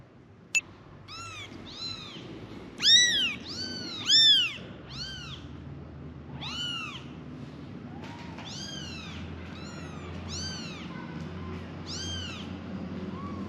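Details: Kittens, five in the litter, meowing for their mother: a run of short, arched, high-pitched mews about once per second, two louder cries near the start, faint background hum.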